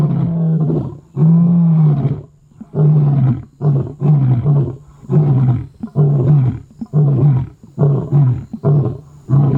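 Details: Avoca male lions roar in full chorus on an evening near a river at Londolozi as dark falls, deep booming bellows in about ten surging bursts, each a second or less, with short gaps.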